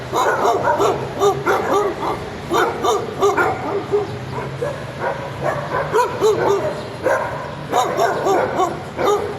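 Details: Annoying yappy barking from a dog, a nearly continuous stream of short high barks in rapid clusters, with a faint low hum underneath.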